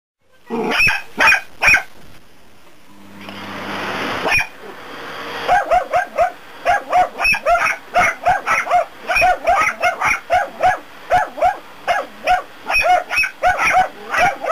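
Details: Two dachshunds bark in sharp, rapid, almost continuous bursts at a vacuum cleaner during daily indoor cleaning, running away while making a fuss, over the brief roar of the vacuum.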